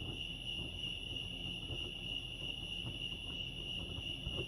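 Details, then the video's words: Chorus of crickets at Lake Arrowhead in California, a continuous shrill ringing tone that holds even and steady, with a soft low background rumble beneath it. "Serenity sounds crickets chirping lake arrowhead"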